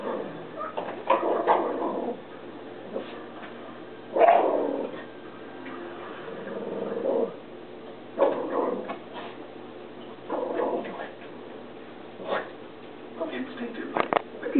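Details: Alice the Jack Russell Terrier, absorbed in television nature shows on PBS, gives spaced bursts of short barks and yips every couple of seconds, with the TV soundtrack murmuring underneath.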